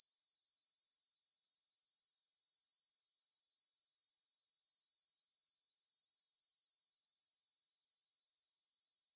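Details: Grasshoppers chirring at 9pm on 6 September 2020 in a field by the Svensky monastery, Bryansk, Russia, stereo Tascam DR-44WL: continuous high, rattling pulse-train slowly growing louder, then stepping down abruptly near the end.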